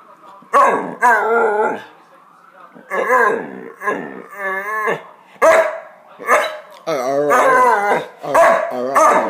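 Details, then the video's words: Pet Hungarian Vizsla attempting to talk with its owner, giving repeated yodel-like moans and whines with a strongly wavering pitch, in clusters of two or three bursts separated by brief silences. "Magyar vizsla Ema trying to talk"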